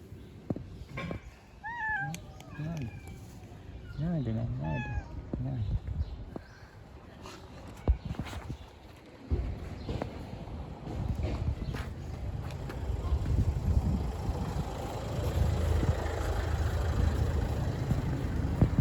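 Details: Stray street cats being fed outdoors: a run of short, wavering meows with rising-then-falling pitch in the first five seconds, a person talking softly to them, then steady rustling and handling noise for the remainder.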